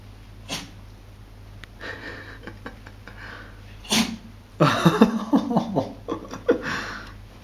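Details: A 2-year-old Dachshund investigating bath bubbles gives a few sharp, breathy sneezes and snorts over a low steady hum.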